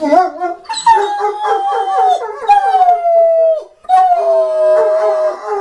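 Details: A dog howling. Long, wavering, tonal notes hold at a steady mid pitch. Each one slides gently downward before a short pause, then the howl starts again.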